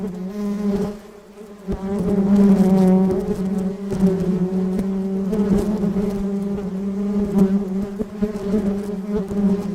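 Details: In Sri Lanka, foraging bees gathering pollen in nature give a steady, low droning buzz that hums on without pause, rich in overtones.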